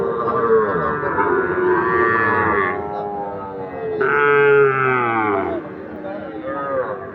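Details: Sahiwal bull calves at Ambari cattle market, traded as farm stock; long harmonic lowing calls rising and falling over several seconds, with a second stronger moo midway, overlapping market chatter and background music.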